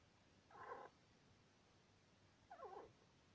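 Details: Sweetpea, a male pet Syrian hamster aged two years two months, squeaking while asleep indoors: two short, nasal, mid-pitched squeaks about two seconds apart against a quiet room hum.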